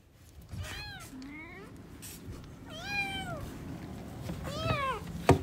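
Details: Newborn kittens playing, meowing: three thin, arched mews, each falling at the end, spaced over about five seconds, with a soft low rumble and handling noise throughout and a sharp click at the close.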